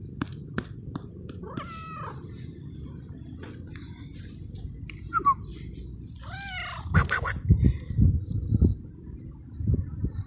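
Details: Stray male cat in heat calling for a female, excited when petted: two arched, harmonic meows several seconds apart, with clicks, low rumbling and handling noises around them.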